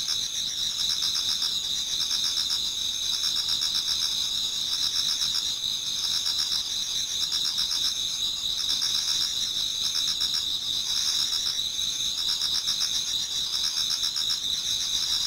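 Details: Many autumn insects singing together toward dawn in a Japanese garden: steady high trilling bands overlap with fast pulsed chirps repeating about four times a second, a dense unbroken chorus with no other sounds.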